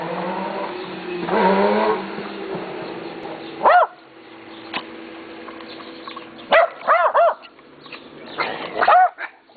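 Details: Friendly neighbour's dogs that bark whenever they see someone: a low murmur early on, then short arched yelping barks at about 4 seconds, a cluster near 7 seconds and a final pair near 9 seconds.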